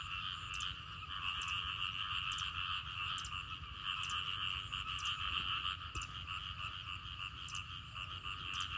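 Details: Frogs and small frogs calling loudly after rain ended a drought, near a garden: a dense, continuous chorus of overlapping buzzy croaks in two steady bands, with rapid pulsed notes blending into a constant rolling din.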